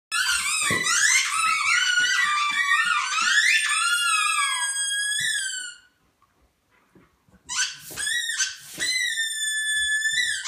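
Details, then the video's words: Podenco Ibicenco and German Shepherd howling together indoors: dense overlapping high wavering howls with stacked harmonics, a brief silent pause, then sustained steady howling resumes with sharp yelps. "Dog SONG - Podenco Ibicenco and German Shepherd"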